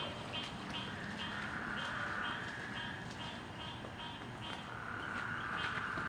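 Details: Night frog chorus on Gaeldom Lane, August 30 2017, after flooding rain pushed the frogs out: rapid chirps repeat steadily over an intermittent buzzy trill that fades and returns, with faint background hum.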